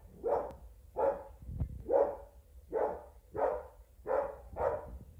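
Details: Jaxston, an English Springer Spaniel, barks at a Robosapien X robot toy he takes for something real; seven even, mid-pitched barks spaced roughly every three quarters of a second, a brief click between the first ones.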